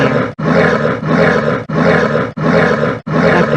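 A spectacled bear gives harsh, rasping roars in quick, evenly spaced bursts.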